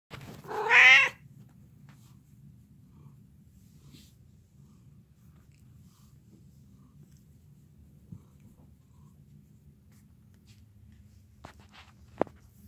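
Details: Cat purring: a loud, short meow opens the recording, then a soft, low, steady rumbling purr continues to the end, broken by a couple of faint clicks.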